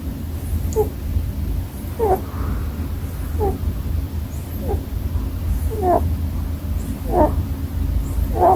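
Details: Sleeping Holland Lop rabbit snoring: short, soft squeaky snorts that rise briefly, repeated roughly every 1.2 seconds over a steady low hum.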